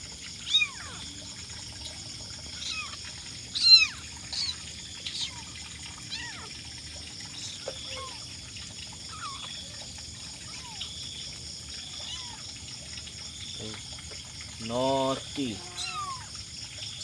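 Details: Five hyperactive young kittens, hungry and calling for their mother, give many short, high, thin downward-sliding mews in quick overlapping bursts, with a louder, fuller wavering meow near the end over a steady faint high hiss.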